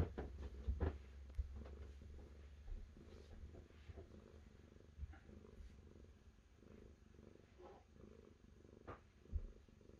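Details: Low, continuous purr from a cat, a deep pulsing rumble that swells and fades in slow breathing cycles, with a few sharp ticks and light rustling over the top.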